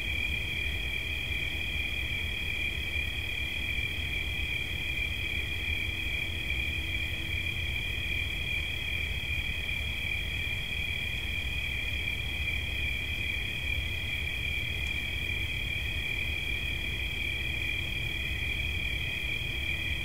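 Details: Cricket chirping in an unbroken, finely pulsed high trill held at an even pitch for the full twenty seconds, set over a steady low rumble, presented as relaxation sounds.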